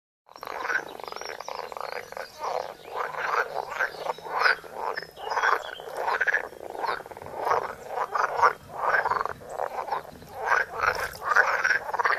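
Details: Several frogs croaking at close range, filmed on a phone: dense overlapping rasping croaks in pulsed bursts about every half second to second, a steady chorus with no gaps throughout.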